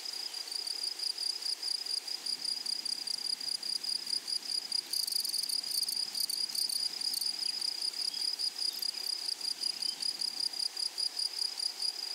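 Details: Grasshoppers of a flowery meadow sustain a bright, high, rapidly pulsed trill. A short burst of harsh, crackling rattles breaks in near the middle.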